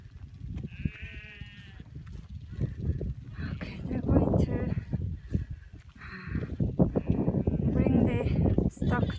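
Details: Cashmere goats in a mixed herd with sheep, being brought to the fence on open Mongolian pasture, give several drawn-out, wavering bleats. A person talks between the calls over low wind noise.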